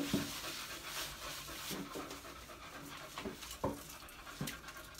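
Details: Beagle panting with quick breathy puffs, a few short low whines breaking through the steady rasping breath.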